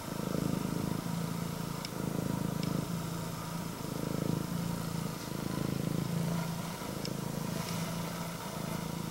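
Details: Engine-loud purring from a female Scottish Fold cat (prick-eared, red tabby and white) welcoming her owner home: a steady low drone rising and falling in regular breath cycles, with occasional light ticks.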